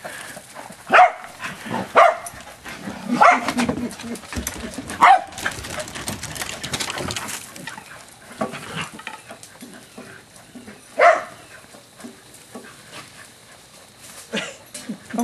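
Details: Corgis barking while being exercised in a chase game, filmed June 2011; several sharp barks come at about 1, 2, 3, 5 and 11 seconds between quieter stretches, with a person talking and laughing throughout.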